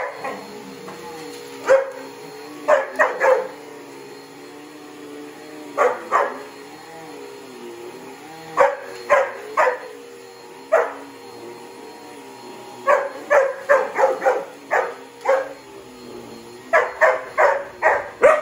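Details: Border Collie barking at a noisy vacuum cleaner it hates: bursts of sharp, high barks in clusters of two to five, with pauses between, over the steady droning hum of the running vacuum.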